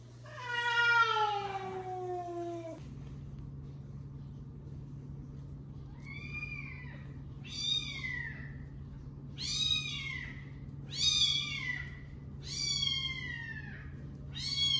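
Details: Domestic cats, the father cat scolding the mother cat: one long descending meow, then a series of five short arched high-pitched meows repeated about every one and a half seconds, over a constant low hum.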